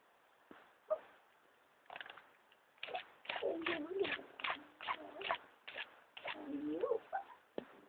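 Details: Bernese Mountain Dog puppies wrestling and playing in their pen, giving a run of short growling, whining yips that rise and fall, about two or three per second, with a few fainter sounds at the start.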